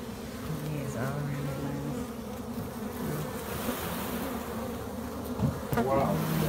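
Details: Steady hum from a colony of honey bees inside a shed, a low continuous drone, broken by a man's voice speaking briefly at the start and near the end.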